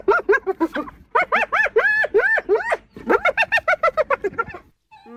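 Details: Hyena giggling, a fast run of short arched yelping notes repeated several times a second in bursts, with a brief pause midway and a faint final note.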